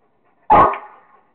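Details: Rottweiler named Kingston barking while playing with a squirrel; a single loud, sharp bark with a short trailing echo, otherwise quiet.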